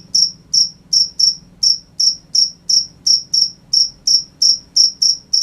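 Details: Nighttime cricket chirps: sharp, high, evenly spaced pulses close to three each second over a quiet low hum.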